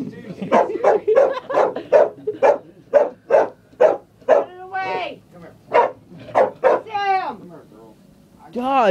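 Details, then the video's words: A female dog afraid of a chair barks in a fast, steady string of sharp barks, and a person's voice breaks in with sliding, drawn-out words near the end. "Dog barking at a chair"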